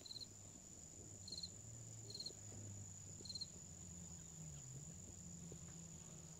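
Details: Busy bees collecting pollen on a flowering bush on a sunny Sunday give a steady low droning hum that wavers in pitch, while crickets chirp in short high trills about once a second in the background.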